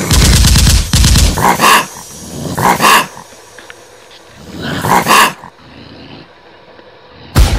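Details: Male raccoon growling, a sound used to scare female raccoons out of an attic; loud, harsh, pulsed growling bursts with a rough harmonic tone, three main bursts separated by quieter pauses, then a sudden short burst at the end.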